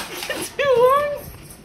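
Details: Alaskan Malamute indoors whining to tell its owner something it wants: a single drawn-out tonal whine lasting about half a second, wavering slightly and sagging in the middle, with a softer brief sound just before.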